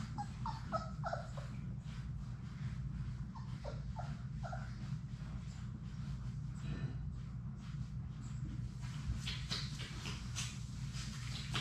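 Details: Six Labrador Retriever puppies, Sadie's litter, playing together in their indoor puppy play room. Short high squeaks and whimpers repeat through the first four seconds over a steady low room hum, then scratchy paw and shuffling noises follow.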